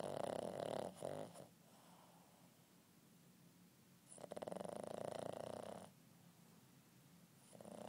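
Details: A Boston terrier puppy aged eight months snores during a nap: harsh, vibrating, nasal rasps lasting one to two seconds, separated by quieter breathing, with a third snore beginning at the end.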